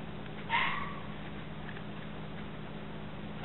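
A red fox gives a single harsh, drawn-out scream over a low steady hum.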